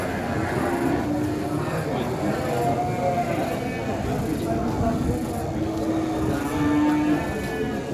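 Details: Huge one-ton qurban cow for sacrifice, unloaded from a truck in Indonesia; short low tonal moos surface early and again toward the end beneath continuous talking and a noisy roadside crowd.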